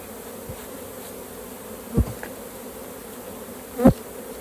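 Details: Quieter hum of honey bees at a hive during a honey harvest, interrupted by two louder thuds of handling equipment around the middle and end.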